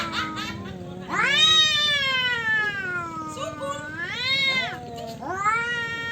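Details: Male domestic cats quarrel over territory with drawn-out caterwauling yowls. The wavering, harmonic-rich wails rise and fall in long overlapping phrases, with a sharp surge of intensity after the first second.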